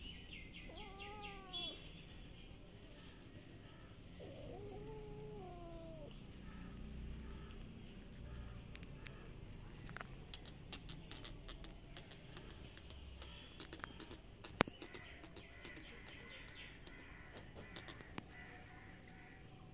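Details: Cats ready to fight on green grass behind a house. Two drawn-out, arching harmonic yowls rise and fall near the start, followed by rustling, scattered clicks and a steady background of insects and faint birds.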